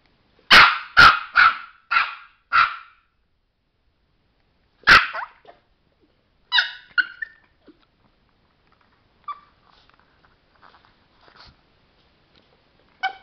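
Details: Chihuahua named Sparky, a trained pet at home, fires a quick run of five sharp barks, pauses, barks once more, then adds softer yips and scattered faint clicks and small noises in a quiet room.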